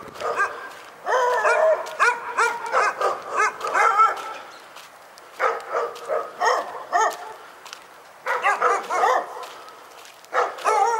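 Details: Barking dog at Pyrga, giving clustered volleys of loud, ringing barks. Runs of several barks alternate with brief quiet gaps of one to two seconds.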